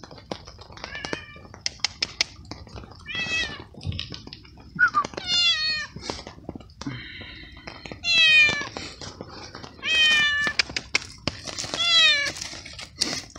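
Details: Hungry stray tomcat fed small pieces of cooked veal in the rain, meowing happily while eating; repeated drawn-out meows, some falling in pitch, interspersed with chewing and clicking sounds.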